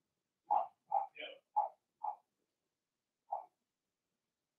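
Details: Young Blenheim Cavalier King Charles Spaniel puppies, Remy's first litter, in a home puppy pen while potty training continues; an irregular burst of five or six short high yips, then a gap and one more yip.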